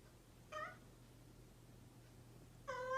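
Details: Two short, bright meows from a mischievous pet cat about two seconds apart, the second cut off as it begins, with a faint steady hum in the room.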